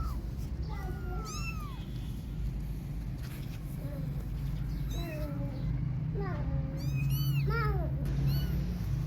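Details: Kittens playing outdoors utter a run of short arched meows, some high and thin, some lower, coming in bursts over a constant low background drone.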